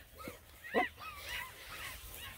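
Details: Black and Tan Coonhound puppies, nine of them, on a hike around a pond: one sharp bark near the start, then a string of whiny, rising-and-falling yelps and yips, with faint background rustle.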